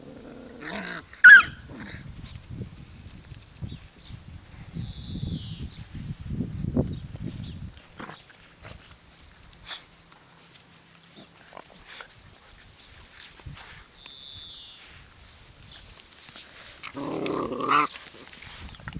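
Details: Dogo Argentino puppies making low, rough rumbling growls through the first eight seconds, with a sharp yelp near the start, scattered scuffling, and a short whiny burst toward the end.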